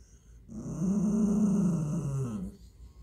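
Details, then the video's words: Mini Italian Greyhound growling at an English Mastiff: one low, steady, rumbling growl lasting about two seconds, rising in at the start and fading at the end, with no other clear sounds. "Mini Italian Greyhound tells English Mastiff what he thinks of him"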